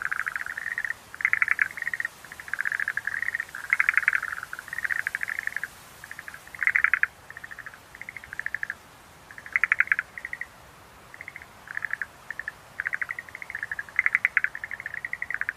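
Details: Repeated clattering bursts from Schlegel's green tree frog, each a brief train of rapid pulses, spaced irregularly about one to two seconds apart, some louder and overlapping, against a soft hissing background.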